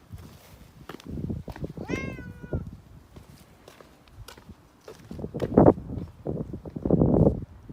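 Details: Black cat out on a walk, flopping over to roll on the ground: one short meow that rises and then falls, amid scuffling footsteps and rustling outdoors.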